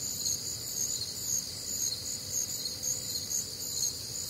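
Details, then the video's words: Many crickets calling together through a warm, humid Midwestern summer night, their shrill stacked chirps throbbing steadily about twice each second over faint low background hum. "Night Time Cricket Sounds"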